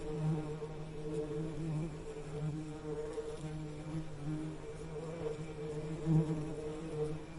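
Bees give a steady, low, droning buzz that holds an even pitch with gentle swells.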